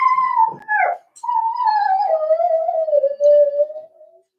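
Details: Cavalier King Charles Spaniel puppies, four weeks old, indoors in a puppy pen: a loud, drawn-out tonal whimper that slides slowly downward with a wavering pitch, after a brief break and a shorter opening cry.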